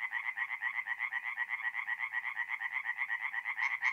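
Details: Tree frogs singing at night at a forest pond in north-east Italy in mid-April: a fast, steady run of rasping pulses, about four per second, continuing without pause.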